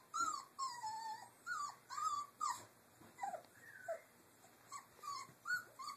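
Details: Doberman puppies, three weeks old, at play in their cage area, giving repeated high squealing whimpers, each a brief bent or falling squeak, about two or three per second in irregular bursts, with soft clatter underneath.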